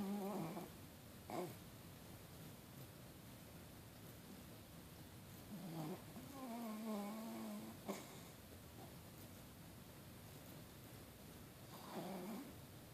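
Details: An adopted dog blissfully asleep and snoring. Breathy snores with a wavering, whistle-like nasal tone come back every few seconds in a slow breathing rhythm over a steady room hiss.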